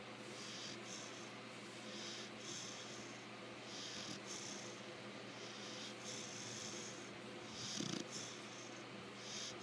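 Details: Lecka, a five-month-old female American Bulldog, snoring in her sleep: soft hissing breaths repeat roughly every second over a steady low hum, with a faint rougher snort near the end.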